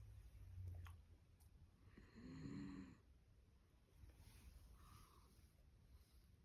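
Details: Sleeping dachshund, worn out and dozing with eyes open in a home shared with other dogs, gives one clear low, rasping snore midway, followed by a softer breathy exhale in a quiet indoor room.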